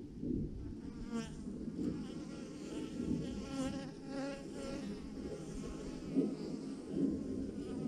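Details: Thousands of honey bees hanging in a massive clump on a branch, a swarm giving off a dense, steady buzzing drone with wavering layered overtones and slight swells in loudness.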